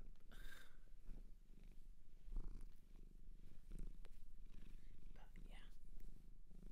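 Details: Close, rhythmic low purring from a cat taken in from a Japanese shelter, an even buzzing rumble running the whole time, with light whispering, a soft voice early on and small handling noises.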